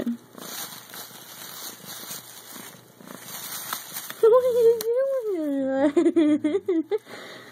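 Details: Male pet cat inside a bag, playing with its people through the bag; after about four seconds of rustling comes a long, wavering, drawn-out meow that dips and rises in pitch, followed by short clicks.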